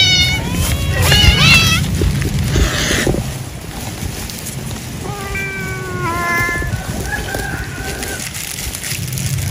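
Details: Cat eating after work in an animal husbandry setting: a couple of wavering, rising-and-falling meows early on, then longer flat mews midway, over constant low rumbling background noise.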